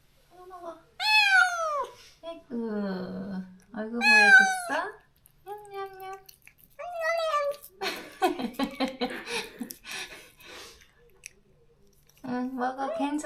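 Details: Stray cat Moka in a countryside yard in Korea, crying after neutering and separation from a close companion: a run of loud, harmonic, wavering meows, some rising then falling, with pauses and faint human speech between.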